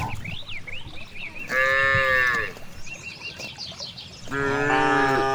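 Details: Grazing cows in a wide rice field give two drawn-out harmonic moos, the second long and steady, while high bird chirps and whistles sound in the background.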